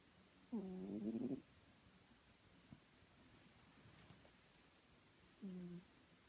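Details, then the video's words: Chloe the pet cat snoring in her sleep, two tonal, nasal breaths about five seconds apart, each a low humming wheeze with a slight rise, quiet hiss between them. "Chloe snoring"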